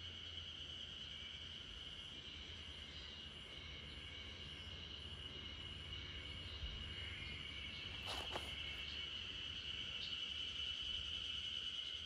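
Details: Spring cicadas in a backyard chorus, a steady high buzzing drone that holds an even pitch for the whole stretch, with a sleeping Great Pyrenees nearby; faint higher chirps and a brief low rumble partway through.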